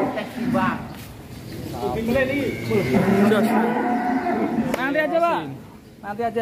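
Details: A huge fattened cow being readied as a Qurban sacrifice lets out a sustained, wavering moo through the middle, with shorter lowing bursts before and after, amid men's voices.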